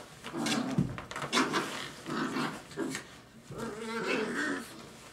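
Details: Dogo Argentino puppies, five weeks old, indoors in a small room: several overlapping whiny, yelping cries and soft growls come in bursts throughout, with a woman's voice speaking faintly near the end.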